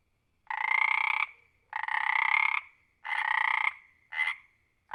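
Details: A frog gives a quick series of rasping, rattling croaks about every second and a half, each lasting nearly a second. A shorter croak follows near the end, over a clean, quiet background.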